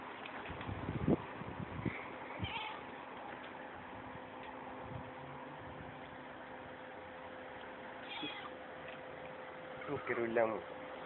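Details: Pet cat playing with its owner indoors, giving a short meow near the start and a quick run of meows near the end, with quiet Russian speech and a steady background hum.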